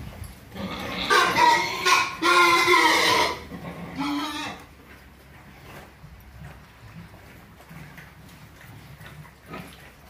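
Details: F1 crossbred pigs kept as future breeding sows in Orobó, Pernambuco, Brazil: loud, harsh, harmonic squeals in bursts over about three seconds, then a shorter squeal, fading into quiet low background noise.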